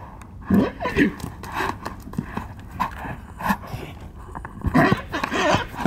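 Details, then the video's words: Wild horses fighting in Arizona, including stallions: loud, harsh squealing bursts and snorts in clusters, with hoof thuds and scuffling between calls. "Insane Wild Horse Fight in AZ"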